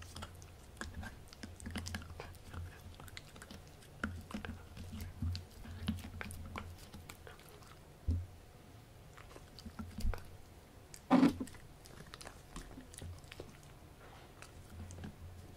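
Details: Gureum, a Pomsky (Husky and Pomeranian cross) born December 2018, eating pork indoors: wet, smacking chews and crunchy bites in irregular bursts, with low rumbling underneath and one loud sharp crunch near the end.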